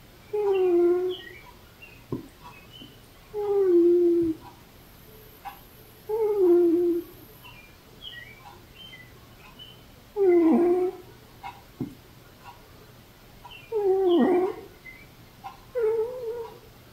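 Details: Velcro, an older female cat, making noises in her sleep: a series of squeaky, moaning tones, each about a second long, repeated every two to four seconds in a quiet small room.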